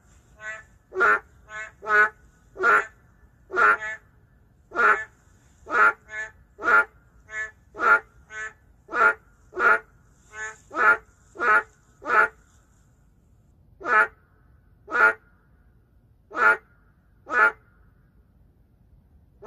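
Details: Endangered narrow-mouthed frog calling in the middle of a city in Korea: loud, nasal, quacking croaks repeated roughly every half second to second, with short pauses between runs and a quiet background.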